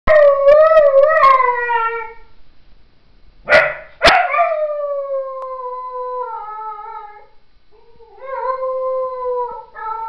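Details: Puppy howling like a wolf: long, wavering, tonal howls that slide slowly downward, with a couple of sharp clicks or bumps in the middle and renewed drawn-out howls near the end.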